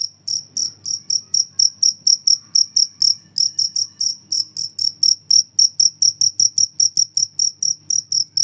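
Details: Cricket, offered as a rat repellent and a model song for caged songbirds, chirping nonstop: sharp, high-pitched pulses evenly repeated about three to four times a second, with a soft low background rumble.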